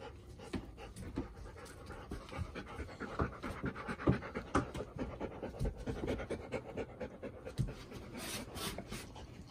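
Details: Four-year-old female Golden Retriever, nervous on her first full day in a new household in September 2021, alongside two other dogs; steady, quick panting at about two breaths per second, louder, with a brief faint rustle near the end.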